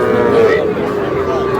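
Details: Small bulls and heifer calves at a Madaripur cattle market, 11 July: a drawn-out, level lowing moo that swells briefly and then holds steady, with market chatter and men's voices close around it.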